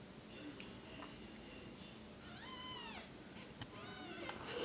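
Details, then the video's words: Female Bengal kitten five days old, suspected cerebellar hypoplasia, beside her mother; two short high mews with rising-falling arcs, close together, over a low steady hum. "Newborn kitten with Cerebellar Hypoplasia"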